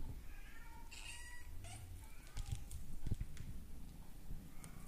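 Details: A male brown classic tabby-and-white Maine Coon kitten, born March 9 and filmed June 2, gives thin, high meows that waver up and down, over low rumbling handling noise.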